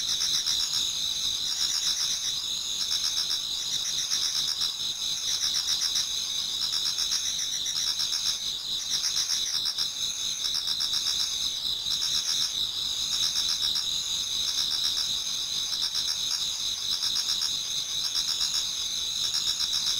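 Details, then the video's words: Japanese garden in autumn as dawn approaches, where many insects sing at once: bright, sustained trilling bands high in pitch, beating in quick regular pulses, steady in loudness from start to end. "Autumn Insects voice Towards dawn"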